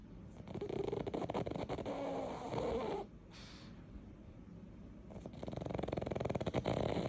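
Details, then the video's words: Sleeping pug Yeoreum snores in rapid, fluttering rattles, a rough burst for about three seconds, a brief lull, then another buzzy rattling stretch; steady indoor background hum. "여름이 코골이"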